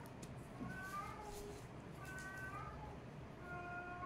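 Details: Kittens play-fighting give three short, high meows, each a rising-then-falling tone about half a second long and spaced roughly a second apart, over a steady low hum.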